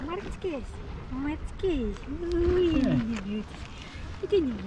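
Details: On an Istanbul wharf a hungry stray tabby cat meows repeatedly: clear arched and drawn-out wavering cries, one longer sliding call mid-way, with a woman speaking softly over outdoor background hum.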